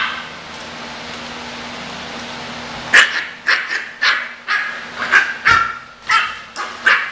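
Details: English bulldog puppies: after about three seconds of quiet hum, a run of around nine sharp, high yapping barks comes at short, fairly even intervals.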